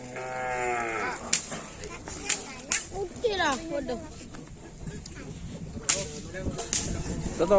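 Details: Madura cattle at a karapan sapi bull race training session before Ramadan at Asemanis: a harmonic moo in the first second, then whip cracks, clapping and crowd noise.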